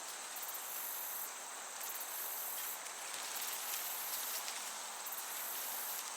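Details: Meadow crickets in summer keep up a high, even trill with intermittent brighter pulses, and a light breeze rustles in the background.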